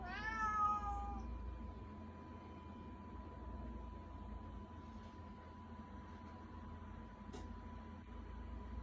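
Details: Domestic cat begging: a single short rising meow right at the start, then mostly quiet room hum with a faint click later.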